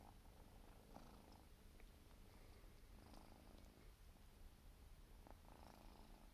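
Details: Four-month-old Siberian forest cat kitten grooming itself, purring continuously; low constant rumble overlaid by brief soft licking and rustle sounds at intervals.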